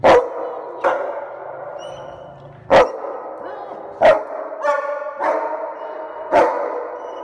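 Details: Excited German Shepherd welcoming its owner home, with loud single barks roughly every one to two seconds interspersed with high whines and yelps.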